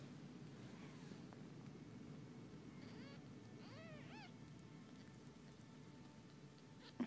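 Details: Mother cats washing their four-day-old kittens, which give a quick run of rising-and-falling arched squeaky mews bunched together mid-way, with a small knock at the end and steady low hum throughout.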